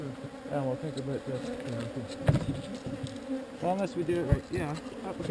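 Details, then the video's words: Honey bee swarm being relocated from an undesired location: a steady, low droning hum holds throughout, with a man's voice breaking in briefly near the start and again in the second half, plus a couple of sharp knocks. "Relocating Bees"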